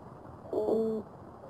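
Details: A male oyster toadfish at his nest gives a low, harmonic, horn- or trumpet-like hoot lasting about half a second to attract a female.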